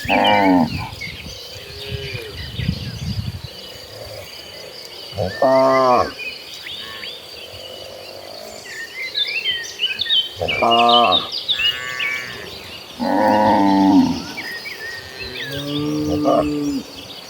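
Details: A herd of cattle walking toward a green pasture, several cows mooing in deep, drawn-out harmonic bellows, roughly five calls spaced a few seconds apart, with birds chirping and twittering steadily in the background.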